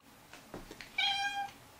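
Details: Pet cat playing with a bag for a treat gives a single clear, tonal meow lasting about half a second, steady in pitch with rich bright overtones, preceded by soft rustling and handling noises indoors.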